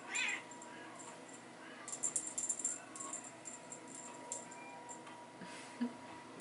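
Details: Young Bengal cats romping in a hallway with their mother and a teaser toy; one quick, high meow opens the recording, followed by scattered metallic jingles and rattles.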